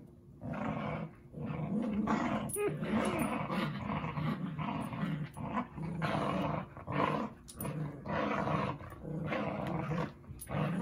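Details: Playful growling from dogs Zuko and Izzy: deep, throaty bursts repeated with brief gaps, a person's voice briefly audible among them.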